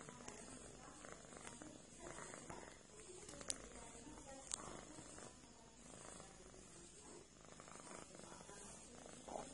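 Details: A cat massaging its friend purrs softly. The low, steady rumble sits under a hissy background, with a few sharp clicks.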